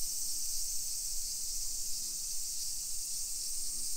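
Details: Nisshin, near Nagoya, Japan, on a summer afternoon, 28 July 2021: cicadas keep up an even, piercing high drone, while brief low hums come and go beneath it.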